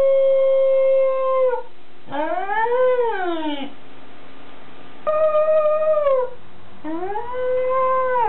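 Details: A Welsh Corgi howls in drawn-out, wavering tones, each lasting about a second or more; recorded 5 October 2006.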